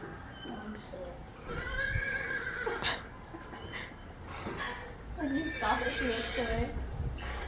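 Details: Whinnies from horses exposed to a horse ringtone, a strained rising-then-falling neigh near the start, then a wavering, shaky whinny later, with people whispering and talking quietly underneath.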